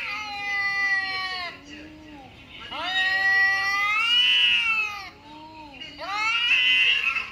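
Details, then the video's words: Cat sounds played on a mobile phone to a mature cat: three plaintive, crying meows, each over a second long, sliding down at the end, with quieter low mews between them. "Cat reacting to cats sounds played on mobile phone. (Kittens meowing, cats fighting etc)"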